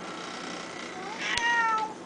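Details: A pet cat said to talk but only ever say one word, giving a single short meow that rises and then slides down, after a quiet hissy lead-in and a soft tap.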